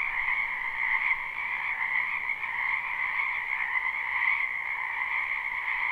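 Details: Numerous frogs in a wetland during spring, recorded live: constant overlapping croaks blend into an even, buzzing trill at two pitch levels, volume rising and dipping slightly, with nothing else heard.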